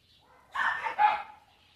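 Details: A dog gives a brief double bark, two loud harsh bursts back to back lasting under a second, with quiet surroundings.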